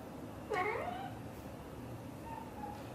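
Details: British Shorthair mother cat talking to her kittens indoors: one short soft rising-then-falling chirping meow, followed by a faint murmured trill, over steady low background hum.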